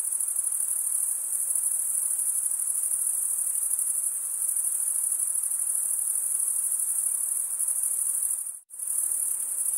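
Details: Continuous high-pitched cricket stridulation, a thin sizzling trill holding steady for about eight seconds, then cutting out abruptly for a split second before resuming at the same level.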